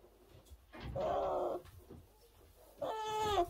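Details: Orphaned brown bear cub at a rescue centre in 2023: two drawn-out, steady, nasal-toned bawls, each about half a second long, separated by a pause filled with shuffling and low rumbling noise.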